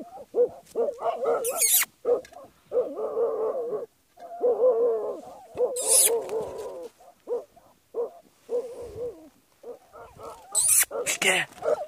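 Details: Hunting Jagdterrier at badgers, with dense stuttering bays and yelps in clustered bursts separated by brief pauses, plus several loud crackling, scraping hits from the struggle.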